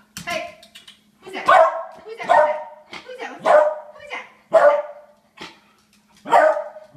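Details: Beagle begging for food: six drawn-out, yelping barks and whines about a second apart, with a person talking.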